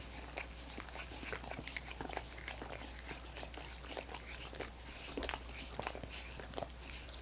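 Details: Dogs licking coconut water popsicles: a dense, irregular stream of wet smacking and clicking laps, some sharper crunch-like ticks, over a steady low hum with no voices.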